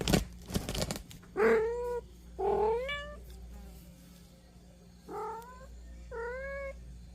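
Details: Kittens wanting to go out and play while their mother blocks them with her paw, giving repeated rising, harmonic-rich meows in short bursts about once a second, with a low steady indoor hum underneath.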